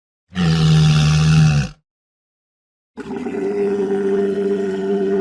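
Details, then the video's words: Walrus letting out a deep, steady bellow lasting over a second, then after a silence a sustained, droning, harmonic moan that holds an even pitch to the end. "Walrus Sounds"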